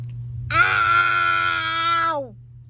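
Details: A cat, described as cute, gives one long drawn-out wailing meow lasting about two seconds, steady in pitch and richly harmonic, then falling away at the end, with a low steady hum underneath indoors.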